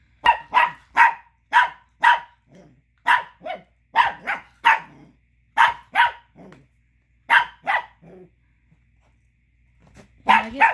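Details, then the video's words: Angry male Chihuahua pup barking because another dog is chewing a tiny bone he wants; sharp yapping barks in quick runs, about seventeen over ten seconds, pausing briefly near the end before a final burst. "Angry Chihuahua Pup Barking"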